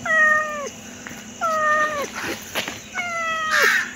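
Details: Pet cat giving three drawn-out meows about one and a half seconds apart, each holding level then sliding down at the end, over a steady indoor hum with some faint clatter.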